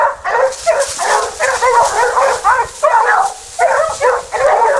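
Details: Multiple Basset Hounds of the French Rallye de l'Allagnon line trailing scent, a close, loud chorus of wavering bays and barks in short repeated bursts separated by brief dips.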